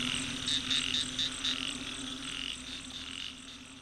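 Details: Chorus of frogs found beside a road on the way to a herping spot, recorded with an old smartphone: high, short pulsed notes repeated roughly twice a second over a steady droning background, fading slightly toward the end.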